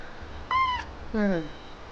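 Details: A kitten sulking with jealousy because its owner took interest in another cat: a short, clear, slightly falling meow, then a lower, harsher, drawn-down meow.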